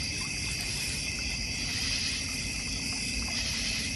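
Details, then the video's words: Crickets in a North Georgia Mountains backyard with a koi and goldfish pond: a steady, dense high insect chorus hums without a break, layered over a soft low rumble and trickling water. "North Georgia Mountain Cricket Sounds"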